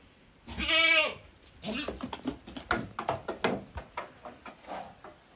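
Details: Savanna goat in Brazil; one wavering, nasal harmonic bleat lasting about half a second, followed by a run of rapid irregular clicks and rustling, possibly hooves or handling.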